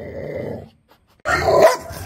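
A Rottweiler puppy gives a low, rough whine, then a louder harsh bark-like yelp.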